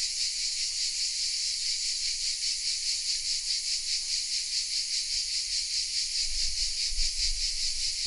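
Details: Cicadas hidden in oak trees in the village of Vézenobres in the south of France fill the air with a dense, high, sizzling buzz that pulses steadily a couple of times per second.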